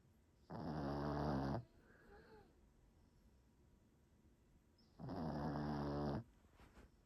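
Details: Snoring from a dog fast asleep indoors: two long, raspy, humming breaths about four seconds apart, each around a second long, with only faint room hush between them.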